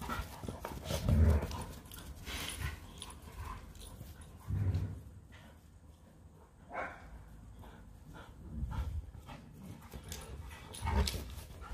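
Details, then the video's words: Leonberger play fighting with a Labrador, the pair wrestling nonstop: low huffing growls and panting come in loud bursts about every two seconds, with quieter breathing and scuffling between. "A LEONBERGER & LABRADOR PLAY FIGHTING"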